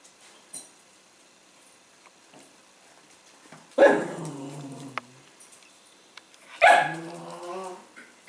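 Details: Demanding Cavalier King Charles Spaniel at its food bowl at dinner time, letting out two sharp barks about three seconds apart, each trailing into a low whine, with small clicks between.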